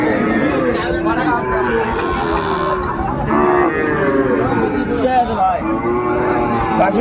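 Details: At a Kurigram, Bangladesh cattle market on 14 December 2024, Sahiwal bull calves low repeatedly, with several overlapping drawn-out moos running through the clip amid dense human talk and market hubbub.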